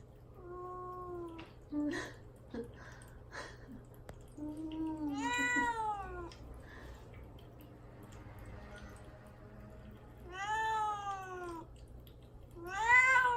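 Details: Cat Mamedaifuku, confined to a cage and fasting before neutering, calls to get out with a series of meows, some short and flat, others long and arching, plus small clicks and rustles in an indoor room.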